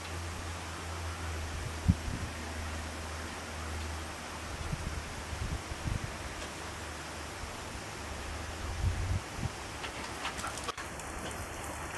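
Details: Steady fan-like hiss and soft rustling handling noise, with a few faint thumps, and no animal voice heard.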